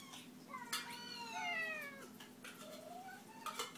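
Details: Pet cat at feeding time indoors giving one long drawn-out meow that rises then slides down, followed by a shorter softer meow, with dish clinks and a low room hum behind.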